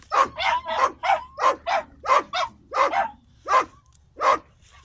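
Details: Doberman hunting a ground fox on farmland; a steady series of sharp, clipped barks, about a dozen in five seconds, coming roughly every half second, later spacing out slightly, with faint low rumble underneath.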